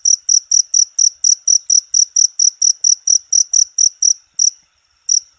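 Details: Jangkrik chirping for masteran of cage birds: loud, sharp high chirps at an even quick pace, slowing into a couple of isolated chirps and near silence toward the end.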